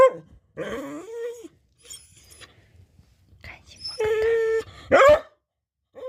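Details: Pet dog chattering before snack time, producing whiny groans, a sustained nasal whine and a sharp yelping bark, with brief pauses between sounds.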